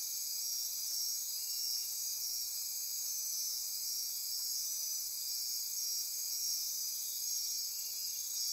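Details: Night-time rainforest insects near Corcovado National Park, Costa Rica, form an unbroken high trilling chorus, several pulsing layers stacked together with a soft buzzing band beneath.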